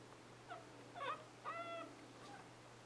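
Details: Newborn Scottish Terrier puppies, born 11/11/2010, indoors; several short high whimpering squeaks with tonal, slightly wavering cries, steady low electrical hum underneath.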